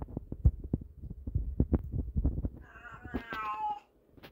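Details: Domestic cat indoors around treat time; a run of low thumping footsteps or handling noises, then a clear wavering meow near the end lasting about a second.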